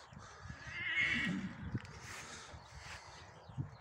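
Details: Horse whinny during the mating of a breeding stallion and a Gypsy mare: a short, fairly faint high squealing cry near the first second, followed by quieter breathy sounds and occasional thuds of movement.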